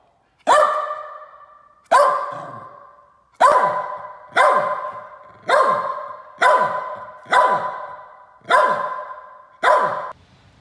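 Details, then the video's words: Berger Picard, the French sheepdog also called Picardy Shepherd, just back from a walk, giving nine loud, sharp barks spaced about one to one and a half seconds apart, each a short harsh burst with a quick fade, in an otherwise quiet setting. "BERGER PICARD"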